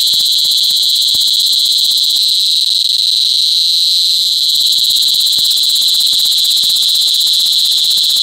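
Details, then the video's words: Cicadas calling during mating in cicada season, La Carlota City, Negros Occidental, Philippines, 18 July 2020, recorded up close: a deafening, unbroken high buzz with a ringing band and fainter overtones, steady throughout, with faint low clicks and handling noise beneath. "Pinaka Maingay na Insekto sa Buong Mundo | Cicada Season | Cicada Mating"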